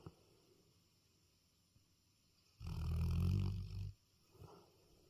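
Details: One deep, rumbling snore lasting over a second from a dog asleep at night, followed by a soft short exhale.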